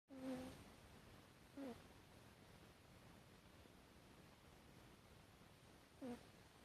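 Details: Hatchi, a pet Chihuahua, snores in its sleep, recorded 12 September 2018: three brief squeaky whistled snores, the first slightly longer, spaced irregularly over a quiet room hush.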